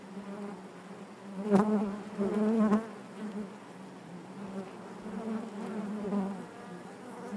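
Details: Continuous hive buzz of many honey bees, a low droning hum with rich overtones, rising in brief louder surges near one and a half and two and a half seconds, then settling to an even murmur.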